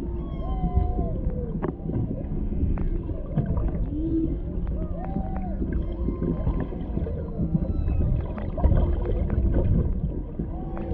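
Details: Humpback whales underwater off Maui, Hawaii, a mother and calf interacting near a boat with a male in the background, caught on a GoPro Hero 7 Black's built-in microphone; repeated moaning arched and upswept tones, with low rumbling water and boat noise.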